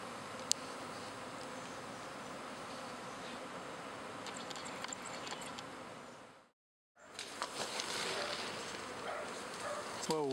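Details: Backyard honey bees swarming in spring as half the hive and a new queen move away; a thick, even buzz, cut by a short silent break, then resuming louder with light crackles at the end.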